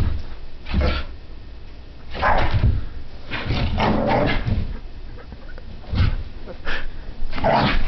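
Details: Sophie, a French Brittany spaniel puppy, racing around the living room in a zoomies fit; spaced gruff growl-barks arrive roughly every second or two over low thudding and movement noise.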